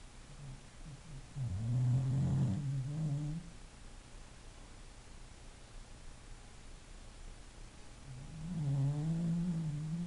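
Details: English Bulldog snoring while asleep. Two low, buzzy, groaning breaths about six seconds apart, each lasting around two seconds, with quiet background between them.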